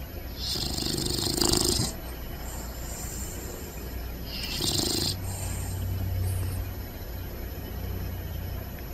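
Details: Sleeping puppies snore loudly: two raspy, breathy snores roughly three seconds apart, followed by a faint, steady low hum and quiet background hiss.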